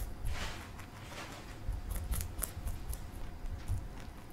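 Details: Pet rabbit Marshmallow, a male, munching broccoli indoors. Brief clusters of sharp crunchy bites and ragged gnawing, busiest near the start and middle, with a low background hum throughout.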